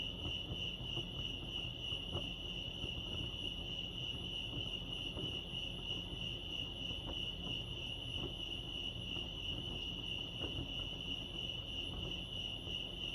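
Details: At Lake Arrowhead, California, crickets produce a sustained high-pitched pulsing chirr that never drops out, layered over muffled low rumbling ambient noise.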